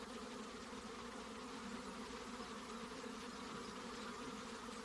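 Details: Honey bees at a hive box fill the air with a dense, steady hum. The low droning tone stays even, with no pauses, and higher fuzzy overtones run above it throughout.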